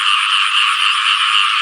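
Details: Frogs and banded bullfrogs calling on a rainy-season morning beside a house in a Thai village: a dense, unbroken chorus of overlapping croaks forming a steady, rasping wall of sound with no pauses.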